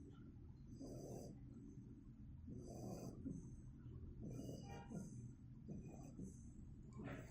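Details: Two-month-old Shiba Inu puppy snoring while asleep: soft, low rasping breaths rising and falling about every one to two seconds, with faint hissy exhales.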